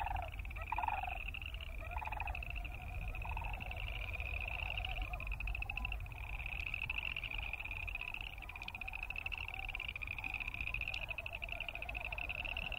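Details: Boreal chorus frogs keep up a continuous creaky trilling chorus, with a brief sandhill crane call at the start and the low pulsing wing sound of Wilson's snipe beneath, over steady low rumble.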